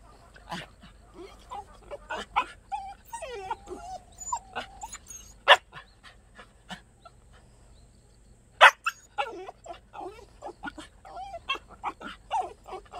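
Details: Rare black native Jindo dog in Wondeok-ri, Gwangdeok-myeon, Dongnam-gu, Cheonan-si, giving scattered high, wavering whines mixed with short sharp barks and yips, with quiet pauses between bursts and a brief silent gap midway.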